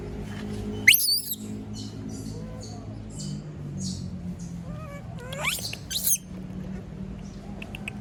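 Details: Female monkey left alone by everyone, crying out: sharp, shrill rising screeches near the start and again midway, with softer wavering whimpers in between over a low background hum.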